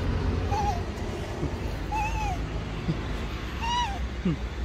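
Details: Hungry stray cat searching for food in a garbage container, giving three drawn-out meows that rise then fall, spaced over a few seconds, above a steady low rumble of street noise.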